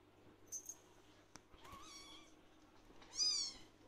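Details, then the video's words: Young blue lynx Ragdoll, a male kitten seeking attention and calling when he sees his owner: a soft wavering meow followed by a louder, sharper rising-falling meow, over a low background hum. "Blue Lynx Ragdoll Kitten Wants Attention"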